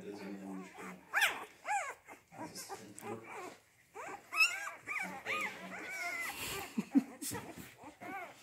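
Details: Rhodesian Ridgeback puppies of the C litter, born 8 June 2019, at Kennel Letsatsi kwa Africa, producing overlapping rising-falling whines and yelps, some low grumbling tones early on, with people talking in the background.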